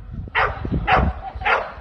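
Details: American Pit Bull Terriers in an ADBA conformation ring in Italy, 2022, barking at each other; three short harsh barks about half a second apart, with low rumbling handling noise underneath.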